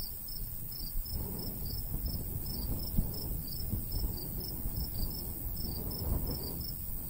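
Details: Summertime crickets near a golden wheat field chirp in quick, evenly spaced high pulses throughout, while a light breeze gusts underneath as a deep, swelling rush.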